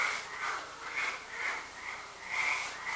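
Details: A night chorus of frogs below a building near a road and houses, with pulsing, overlapping calls swelling about once a second.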